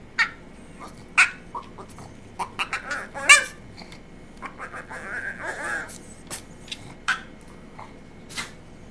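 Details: A male Boston Terrier makes short, whiny, yodel-like grumbles begging for mac and cheese, answered by a person asking what he wants.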